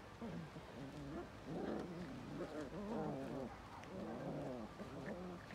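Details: Belgian Malinois giving a run of voiced, moaning growls, each a low tone that bends up and down, in bursts of about a second with short gaps.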